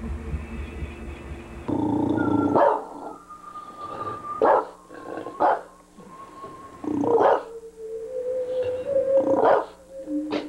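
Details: A Bulldog, fascinated by a synthesizer, barks at it indoors. About five short, sharp barks are spaced over ten seconds and answer sustained, steady synthesizer tones that shift in pitch.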